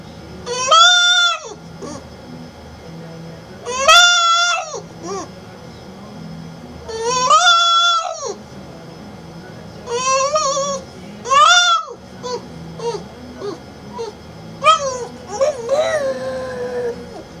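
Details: A male French Bulldog gives loud, wavering yowls that rise and fall, sounding almost like 'mom'.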